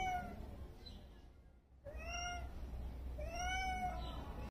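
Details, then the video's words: Soft meowing from Snowwhite, an adopted former street cat settling into her new home on her first day: a short meow, a pause, then two gently arched meows close together over a steady low indoor hum. "Snowwhite Cat First Day At Home | Soft Meowing Sounds"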